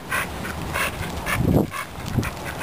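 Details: Megatron, a Staffordshire Bull Terrier on the way to a dog park, gives short, evenly spaced breathy puffs, about four in under three seconds, with low rumbling noise underneath.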